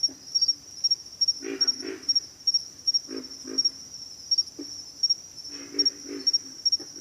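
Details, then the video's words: Several low, throaty grunts from pig frogs, mostly paired or tripled, with pauses between bursts, set against a constant high-pitched buzzing of insects. "pig frogs - sound effect"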